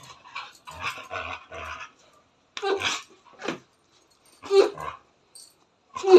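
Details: Nepali house dog complaining in jealous anger about the scent of street dogs on its owner, uttering broken bursts of grumbling and whining separated by silent gaps, with a sharp yelp at the end.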